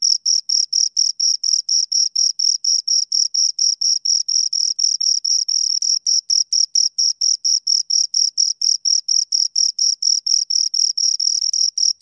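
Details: Two crickets chirping close up, a steady high-pitched pulsing trill of short scraping bursts, about four or five pulses per second, with a fainter overtone above; nothing else is heard.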